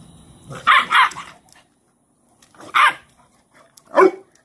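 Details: Cane Corso mother Cashmere disciplining her most dominant female puppy, laying her down in submission posture; three loud, harsh bark bursts, a doubled one at the start, then single barks after a pause, in a quiet room.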